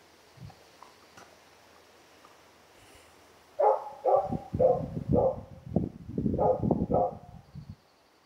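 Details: Female Karelian Bear Dog filmed in June 2016, asking for friendly attention, making a rapid series of low grumbling, talking-like yowls and moans, about two per second for four seconds after a quiet start.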